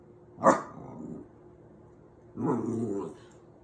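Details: Snowball the puppy, noticing a new dog on a dog food bag, gives a sharp, sudden yelp, then after a pause a drawn-out, low grumbling growl lasting under a second, in a quiet room.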